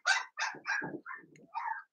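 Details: Blenheim Cavalier King Charles Spaniel puppies from a litter of five born at New Year's, in an indoor puppy pen, giving a short series of high, squeaky yelps and whines, some dropping to a lower grumble, with brief pauses between them.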